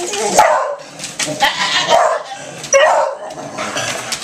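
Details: Startled by a toy helicopter, a Beagle and a Lab let out three short, harsh barks spaced about a second apart. People can be heard talking in the background.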